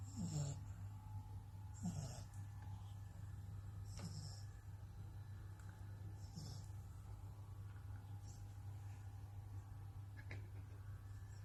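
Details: An 11-week-old French Bulldog puppy snores in short, snuffly rasping breaths about every two seconds over a steady low hum.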